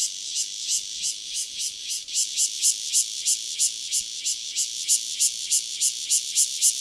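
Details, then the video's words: Near Dona village, KaoHsiung County, a single Cryptotympana takasagona cicada produces a shrill, grating high buzz in rapid pulses, uneven at first, then louder, sharper and more clipped toward the end. "5- Cicada Cryptotympana takasagona, single, near Dona village, KaoHsiung County"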